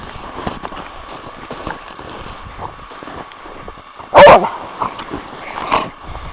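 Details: A pet dog named Orka, at a cabin, gives one sharp, loud bark about four seconds in. A softer burst follows shortly after, over a steady low hum and faint background rustling.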